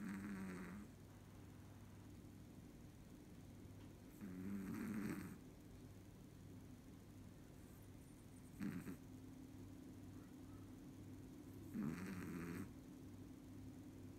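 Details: Sleeping Chihuahua snoring in a human-like way: low rasping snores with a bubbly, throaty rattle, each lasting about a second and returning roughly every four seconds, with a steady low hum between breaths.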